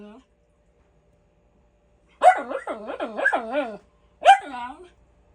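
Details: Miniature Schnauzer barking at home for no obvious reason: a rapid run of five or six yappy, wavering barks after a long silence, then one more bark trailing into a whine.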